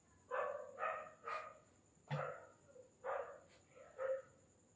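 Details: Desi dog puppies in India, almost four months old, yap in a quick series of about seven sharp, high barks spaced roughly half a second apart, over a constant thin high-pitched hum.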